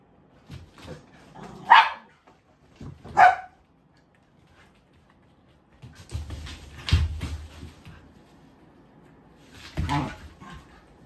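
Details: Pet Siberian husky in Japan, described as very talkative, letting out two short rising yelps early on, then longer noisy outbursts with a low rumble and a final whine-like call, with some human speech mixed in.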